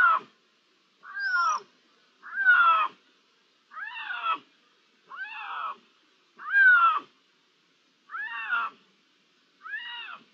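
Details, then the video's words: Iberian lynx meows from 16 June 2023, possibly several lynxes: a steady series of about nine strong harmonic mews, arched and falling in pitch, spaced just over a second apart, with one thin higher squeal near the start. "¿Uno, dos, tres linces? (Con maullidos)"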